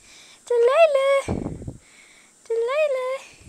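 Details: Delilah, a Siberian Husky puppy playing wildly indoors, lets out two rising-then-falling tonal woo calls about two seconds apart, with a rough scuffling noise between them.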